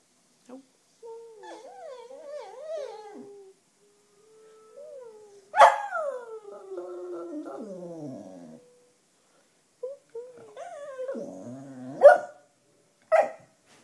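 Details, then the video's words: Black Cocker Spaniel Sashka, a pet who loves howling to wind instruments like the clarinet and seems tired and groaly here, produces wavering, quavering howls and whines that slide downward in several phrases, broken by two sharp yelps near the end. "Sashka - A Howling Cocker Spaniel"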